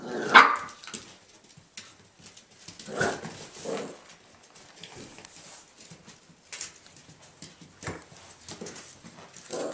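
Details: Irish Jack Russell Terrier male puppies Mushroom, Portobello and Patty playing together indoors: a sharp yelp at the start, then scattered short barks and yips spaced a second or so apart over quiet scuffling.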